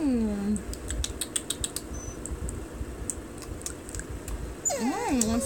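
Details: Soft Coated Wheaten Terrier, a female pet, aggravated while being teased about how good food is; a high whine sliding down opens, then after soft clicking and tapping sounds a wavering, rising-and-falling whine closes.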